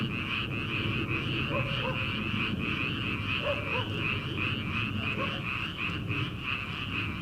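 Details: Early-summer frog chorus from rice paddies ahead of planting season: many frogs croaking at once in rapid, rattling pulses, forming a steady massed trill with faint brief higher notes scattered through it.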